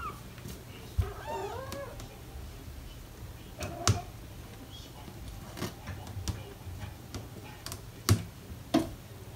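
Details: Kitten meow from a litter of four almost five-week-old British Shorthair kittens playing indoors with parents Ted and Chloe nearby; one short wavering mew with stacked harmonics near the start, then clicks, taps and scattered handling noise.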